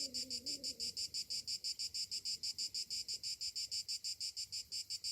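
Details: Summer morning chorus of cicadas, a shrill rasping buzz pulsing evenly around three times per second throughout, with a brief lower tonal call at the very start.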